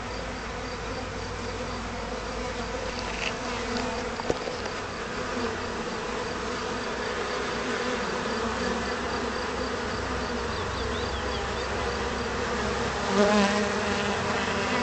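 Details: Honey bees in May 2010, accidentally covered with honey and cleaning themselves; continuous thick buzzing drone of many bees, a brief click near the middle and a louder rustle toward the end, with faint birdsong behind.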